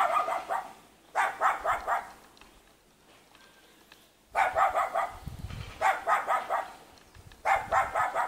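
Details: A cute young dog living in a mountain village near Jeonju, North Jeolla Province, Korea, barks in quick bursts of three to five sharp yaps, with short quiet gaps between the bursts.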